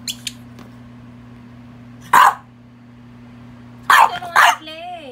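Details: French Bulldog named Pogi playing with rubber toys; one short harsh bark near the two-second mark, then a quick double bark toward the end followed by a brief higher whining tone, over a steady low electrical hum.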